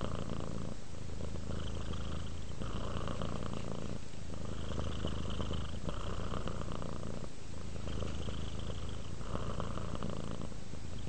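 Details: Steady purr of a relaxed house cat dozing off, a deep rumbling drone pulsing with regular breaths about every two seconds.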